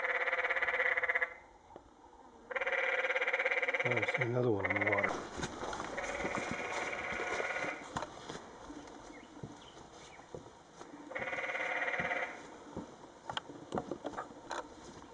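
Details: Canyon tree frogs calling on the Secret Canyon Trail in Sedona, Arizona, 2011, some climbing and one on the water. Loud, nasal, bleating trills of about a second each, in three bouts, with a rustling, clattering mix of noises between them.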